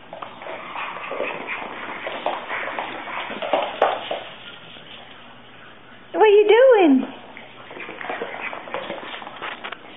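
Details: Boston Terrier puppy indoors, a short loud whine rising then falling with a bent harmonic pattern, about a second long, amid a woman's talking and household noise.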